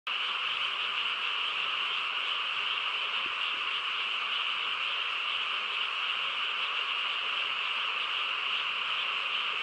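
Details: Frog chorus on a quiet countryside night: a dense, unbroken wall of overlapping croaks and trills, steady in loudness throughout, with a bright band of calls in the upper-middle range and no other clear sounds.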